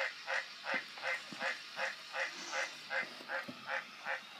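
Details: Green tree frog croaking in a steady series, about eleven short nasal honks in under five seconds, each evenly spaced with a bright mid-pitched tone and no other notable sounds.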